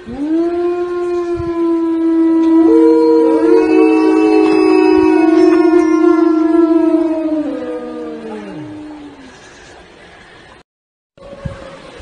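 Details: Siberian Husky howling in a long chorus of several overlapping voices at slightly different pitches. The sustained tones swell, hold for several seconds, then glide downward and die away, followed by a short silence and a faint tone.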